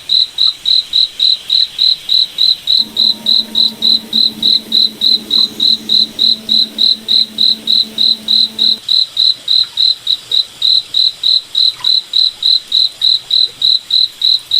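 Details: Moonlit forest at night with a cricket repeating sharp, high chirps at an even pace of about three and a half per second, while a faint low hum passes through the middle stretch.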